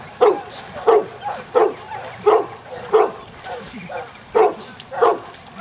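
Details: During a section C water test at Grangewater Tests, Newfoundland Layla gives about nine loud, regularly spaced barks, each short and resonant, with a brief pause near the middle of the run.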